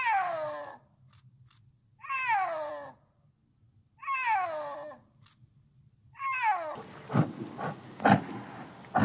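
Snow leopard giving four drawn-out, falling, harmonic mewing calls about every two seconds; crackling, rustling noise follows the last call.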